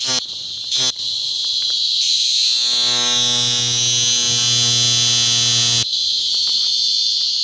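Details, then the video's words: Cicada on a tree trunk in Macuiltépetl Ecological Park, Veracruz, Mexico, during a mass emergence after rains; a loud, steady high-pitched buzzing drone, with a brief lower vibrating tone underneath midway, then cutting off abruptly. "Una Cigarra creando su característica vibración sonora"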